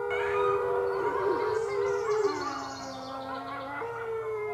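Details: Young red wolf pups, six weeks old, howling at the Wolf Conservation Center. Layered voices overlap, one sliding down to a lower held note, then jumping back up to a steady higher pitch. Light background hiss.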